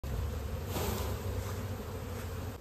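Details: Honey bees at a village hive in India while natural honey is being collected, giving a steady, low droning buzz that runs throughout, with a soft rush of broadband noise over it.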